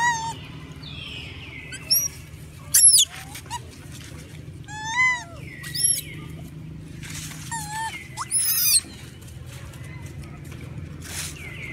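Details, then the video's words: Hungry monkeys crying loudly for food, a group voicing high, wavering, bent wails and piercing squeals in irregular bursts, with brief quiet gaps and faint background rustle. "Crying loudly..! Many monkey is crying loudly hungry food"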